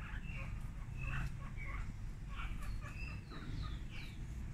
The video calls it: Cobayas gritando muy fuerte